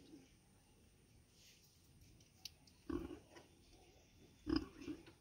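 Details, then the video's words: Sow with piglets in the street, two brief sharp grunts roughly a second and a half apart against a quiet background with a faint high hiss. "STREET PIG VIDEO|| PIG SOUND|| MOTHER PIG WITH PIGLET||"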